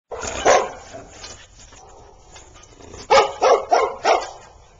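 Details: Golden retriever and husky, newly introduced friends, playing together during daycare at Oxford Pet Resort; one short bark early, then a quick run of four sharp barks close together near the end, over faint room noise.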